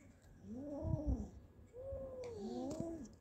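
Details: Cats Kaallu and Motu with a big mouse they caught: two clear arched meows, each rising then falling, about a second apart, over low rumbling background noise.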